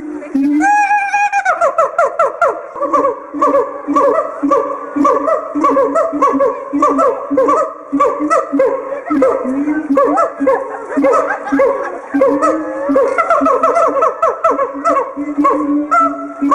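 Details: A captive siamang in a small cage, its inflatable throat sac acting as a resonator for territorial and pair-bonding calls, sings loud, harmonic whoops and barks that rise and fall in rapid, overlapping bursts.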